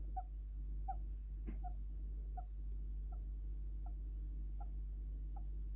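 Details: Pet Djungarian hamster making faint, short squeaks its keeper calls sleep talking or snoring, repeated steadily about every three-quarters of a second, with one louder click midway over a constant low electrical hum.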